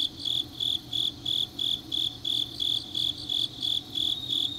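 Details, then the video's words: Grass insects calling late on an autumn night in Changnyeong, Korea, a regular train of shrill pulses roughly three each second, layered over a thin continuous trill and a faint low drone. "깊은밤 가을 풀벌레 소리"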